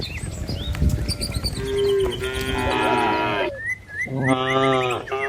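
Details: Tame village cattle moving as a herd toward the pen. Drawn-out lowing from more than one animal is heard, with a sustained rich moo in the middle. Short chirps from birds and faint background rumble are also heard.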